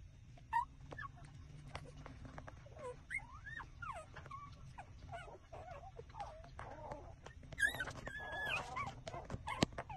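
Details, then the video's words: Several puppies, six days old, whimper while suckling milk from their mother: a busy run of high, wavering squeals that swoop up and down, overlapping one another, with soft clicks and sucking sounds between them and a low background hum. "puppy -6-days-old taking milks tremble sucking"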